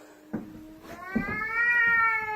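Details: Pet cat blocking its owner on the stairs indoors, making a strange drawn-out meow with rising harmonic tones that swell and hold, preceded by short soft chirps; a man speaks nearby.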